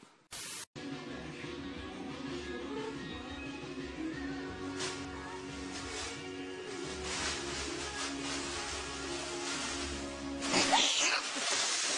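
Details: Background music with sustained tones plays after a brief opening blip, ending with a burst of broadband noise, and no clear animal sound.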